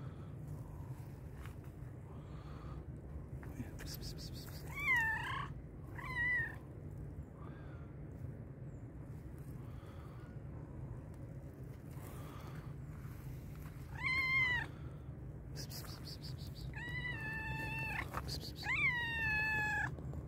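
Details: Black and white cat, very hungry, giving a series of loud meows, some short and rising, others long and wavering, spaced over twenty seconds, with a person's voice and low background rumble.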